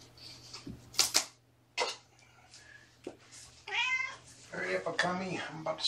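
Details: Kittens indoors at Purrfect Pals, a litter of four (three males, one female) with mother Seraphina, brought from a shelter in Lewis County, Washington, filmed in the afternoon. A drawn-out harmonic mew swells midway, more mews follow under human talk, with brief clatter.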